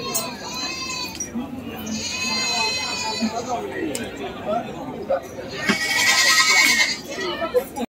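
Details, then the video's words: Goats at an animal market give harmonic, wavering bleats, several in turn across the stretch. A loud bleat comes near the end. Crowd chatter and market noise run underneath. "Suara Kambing, Kumpulan Video Kambing di Pasar Hewan"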